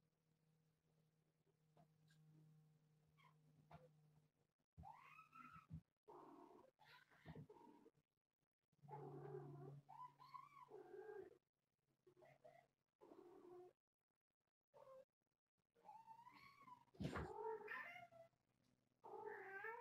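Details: Kittens play-fighting and wrestling, one of four kittens of a young calico mother cat about a year old, indoors near a hammock; short wavering meows and yowls come in bursts over a low steady hum.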